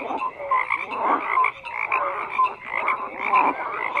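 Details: Dense frog croaking, several animals calling over one another with throaty pulsed croaks and short sliding whistled notes, swelling and easing roughly every second in a continuous wall of sound.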